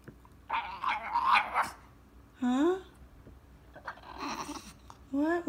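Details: Morning in a small room as a male French Bulldog demands his walk: two short rising whines, one midway and one at the end, between bursts of higher chattering vocal sounds.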